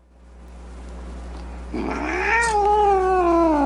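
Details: Angry cat, quiet at first, then breaking into a rising, wavering yowl that swells in loudness and holds a drawn-out moaning tone.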